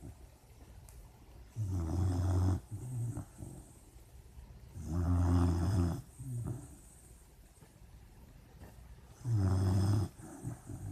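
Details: Dreaming puppy asleep, snoring in three long, deep rumbling bursts spaced about three to four seconds apart, with quiet breathing between them.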